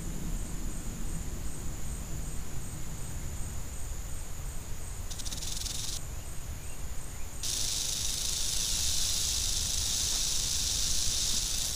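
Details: Western diamondback rattlesnake, described as angry, with a faint insect-like whine at first; a brief burst of high buzzing comes midway, then a loud, continuous rattle starts and holds steadily to the end.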